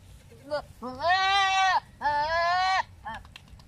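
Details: Philippine native goats in breeding condition, male and female behaviour during mating; two long, strong, tremulous bleats of about a second each with a short pause between, plus brief softer bleat fragments before and after.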